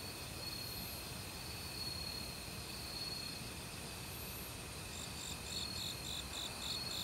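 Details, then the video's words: Autumn crickets in a Korean forest, calling loudly for about a week, mixed with various other insects: steady high shrill trilling bands, with a run of quick pulsed chirps near the end, over the broad rush of a mountain stream. "가을 귀뚜라미 소리"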